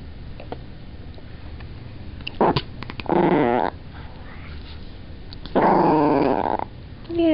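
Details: Annoyed at being lifted while trying to sleep, a Chihuahua lets out a brief yip-like snap, then two harsh rasping growls about two seconds apart, with light handling noises and a man speaking afterwards.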